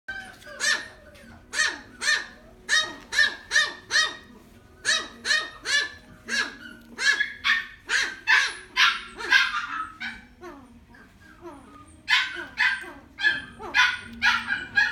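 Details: Toy Poodle in a pet shop in Omihachiman, Japan, barking in sharp repeated bursts, roughly two per second, in runs broken by short pauses, with a low steady hum underneath.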